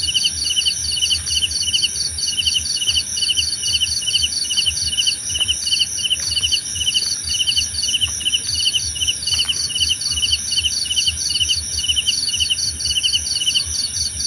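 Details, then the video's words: Dense cricket chorus used for sleep and stress relief: fast repeated pulsed chirps from at least two callers at different pitches, steady throughout, over a shrill continuous drone with a few faint clicks. "Suara Jangkrik Membahana!"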